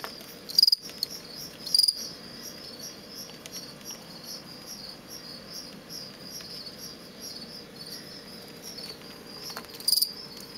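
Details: A male fall field cricket, bred from insects collected beside a road outside Lethbridge, Alberta, and kept in a plastic bin, produces aggressive song for contests: two quick high pulsed chirps a second apart, a long quiet pause, then one more chirp.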